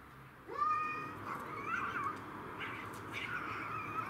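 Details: Domestic shorthair cats in a territorial fight involving Tom, Mimi and a grey and white stray: a yowl starting sharply, then wavering, noisier wailing sounds over a rough background.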